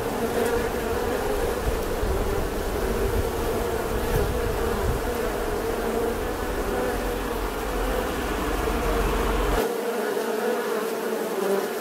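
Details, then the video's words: Bee buzzing in a steady, continuous drone with a low hum throughout, holding an even level from start to finish. "Tiếng kêu của con Ong || The sound and picture of the Bee"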